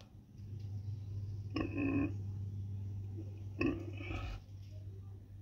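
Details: Street pig, a mother with her piglets, giving two short harmonic grunts about two seconds apart over a steady low engine-like hum.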